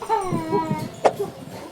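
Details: A Labrador Retriever gives drawn-out, whining, sing-song barks that slide in pitch, barking at a guitar he is seeing for the first time while it is played.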